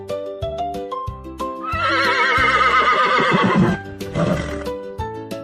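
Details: Horse whinnying in a long, quavering neigh lasting about two seconds that wavers and slides downward, then a shorter second whinny, set over soft, steady children's piano music.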